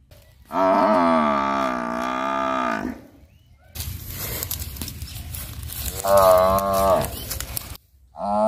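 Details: Buffalo calls: a drawn-out, deep moo of over two seconds that falls at its close. A hissing, noisy background follows with a shorter rising moo in it, and a new call begins at the end.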